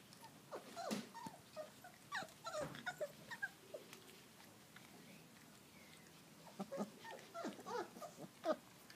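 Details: Four-week-old Field Trial Labrador Retriever puppies out in a garden, taking their first steps and eating porridge; short high whimpers and squeaky yelps come in bursts, with small growly grumbles and soft pattering between them.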